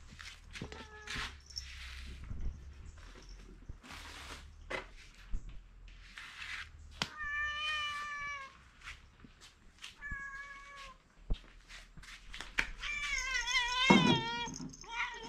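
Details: Cat, one of two household cats, meows in short wavering bursts while munching dry food; crunching and chewing fill the gaps, with a louder, quavering meow near the end.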